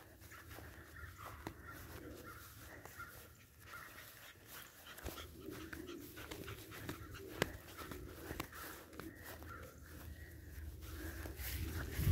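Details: Several Boston Terrier puppies in a litter give soft whines and squeaks with scattered panting and rustling, growing louder toward the end.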